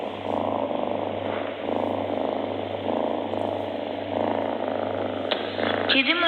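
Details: Domestic cat purring close up, presented as healing for illnesses: a continuous rumbling, pulsing purr rising and falling in long breathing cycles, with a steady low hum beneath and a brief voice-like sound near the end.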